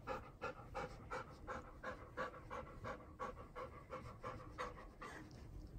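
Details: Seven-year-old female Golden Retriever named Hatch being washed with dog soap; quick rhythmic panting, short breathy pulses repeating almost three times per second, with faint room noise behind.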